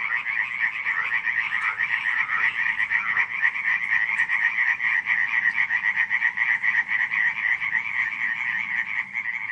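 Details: Frogs calling after dark in Radziszów during July 2015; overlapping croaks form a thick, ceaseless rattling chorus, with a few louder individual croaks standing out over the steady pulsing mass.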